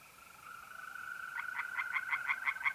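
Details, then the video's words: A steady mole cricket trill opens this recording from an April night at a pond in north-east Italy, then tree frog pulses break in, quick and evenly spaced, growing louder toward the end. "relaxing singing tree frogs in pond and trilling mole crickets by night"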